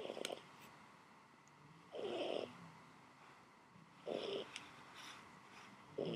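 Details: Domestic cat snoring while asleep on fresh laundry indoors: soft, rasping breath bursts roughly every two seconds, each about half a second long, with faint clicks between them in a quiet small room.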